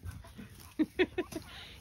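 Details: Puppies on a farm in County Kilkenny, Ireland, chirping when they meet a step too high to climb; four short yelps in quick succession over faint background noise.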